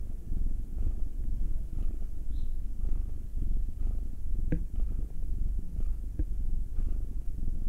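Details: Cat purring under massage, Will the nine-year-old male black cat or Anzu the two-year-old female tortoiseshell Munchkin. Even, rapid low vibration, constant throughout, with a few small clicks and rustles from handling.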